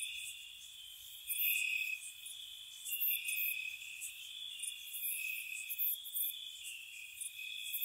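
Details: Spring night cottage crickets: continuous shrill trilling that swells and fades, with sharp high chirps bursting out about four times a second in loose rhythm, a dense insect chorus.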